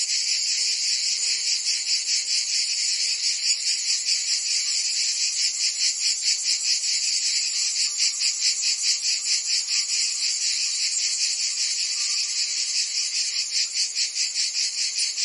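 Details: Cicadas chorusing on a summer day in Provence, France; a steady high electric-sounding buzz beating in rapid regular pulses, with a faint lower tone running beneath.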